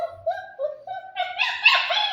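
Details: A 40-day-old German Shepherd puppy, scared to get down and trying to climb down, whines in a high, drawn-out, wavering tone that swells into a harsher, strained yelp toward the end.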